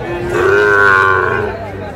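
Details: A Sahiwal bull calf moos at a Madaripur livestock market, 30 November 2024, as prices are haggled: one sustained, even, nasal moo lasting just over a second, steady in pitch, with faint market voices behind.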